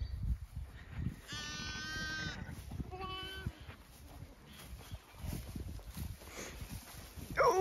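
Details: Zwartbles ewe on a regenerative farm in County Kilkenny, Ireland, with her newborn ram lamb in a field; one clear wavering bleat about a second long, then a shorter second bleat, with a woman talking to the ewe and rustling around.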